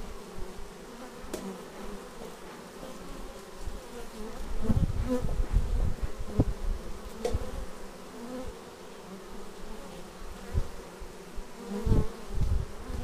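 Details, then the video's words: Bees flying in to land at a beehive, raw action-camera footage: a dense low hum with frequent loud passing buzzes and knocks close to the camera, swelling around the middle and again near the end. "Bees arriving at hive"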